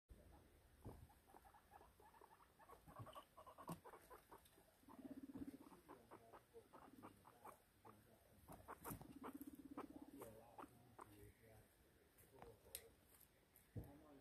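A guinea pig chatters in quick, soft clicks and patters, scattered unevenly through the sequence. Twice the sound settles into a low, steady buzzing purr lasting about a second before the clicking resumes.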